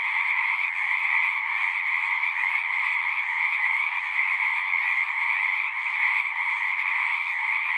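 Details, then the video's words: Frogs singing at a pond in a horse pasture, captured on a Zoom 6: a dense, unbroken chorus of high, shrill trilling that holds steady at one loudness throughout, with no other sounds. "Frogs singing"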